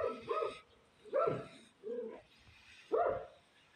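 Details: A tiny grey cat, called a stray, gives short, rounded mews in three or four bursts with pauses between them, each call dipping and rising in pitch.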